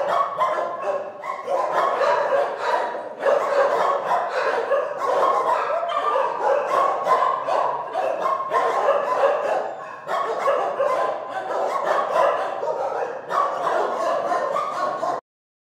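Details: Shelter dogs barking together in a constant, chaotic chorus of deep and high barks, yelps and yips, about three per second, with brief lulls before the din cuts off abruptly near the end.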